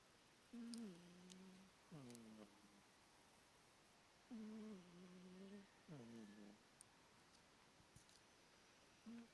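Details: Pet cat Bonderez snoring steadily, deep humming breaths repeating about every two seconds, each dipping in pitch at the start before levelling out; occasional faint clicks in the room.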